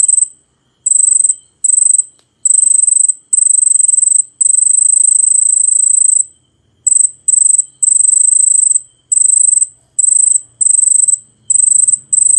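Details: Cicada song, an insect that sings perched on tree bark, in very high-pitched buzzing bursts, each lasting roughly half a second to two seconds, separated by brief silences, with a faint low hum late on.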